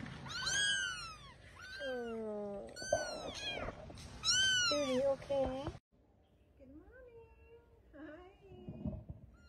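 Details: Kittens meowing at home; loud, rapid, high arched mews in quick bursts, then a sudden cut to a quieter stretch with softer, wavering calls.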